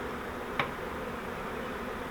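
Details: Honey bee swarm caught in a flowerpot bait-hive swarm trap and moved into a Langstroth hive: a steady, dense low hum of many bees, with one brief sharp click near the start.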